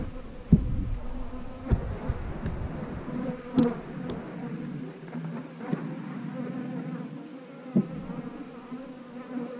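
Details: Continuous low hum of honey bees at an eight-frame beehive, even and unbroken, with scattered sharp knocks and clicks from hive handling.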